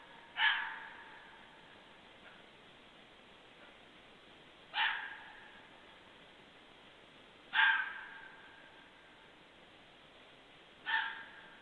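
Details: A fox barks at night at 23:51 on 2 January 2014, giving four sharp, hoarse single barks spaced a few seconds apart, following a group's passage.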